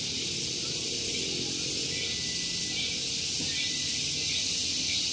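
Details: Cicadas singing on a morning at Gunung Geulis, Bogor, West Java, near a vehicle parking area: a loud, continuous high hissing buzz that pulses steadily about four times a second, with a faint low rumble beneath.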